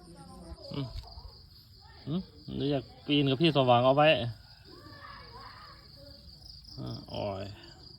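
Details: Kept cats quarrelling, with brief growls followed by a sustained wobbling yowl of about a second and a later short cry, against a continuous shrill insect hum.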